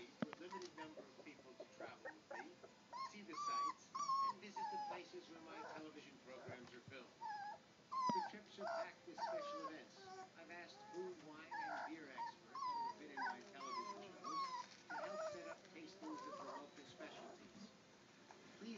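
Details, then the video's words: German Shorthaired Pointer puppies, three weeks old, playing together; a litter's chorus of high, wavering whines and squeaks, often bending up and down, in short bursts with brief gaps, plus soft grunts. "GSP Puppies Playing 3 weeks old"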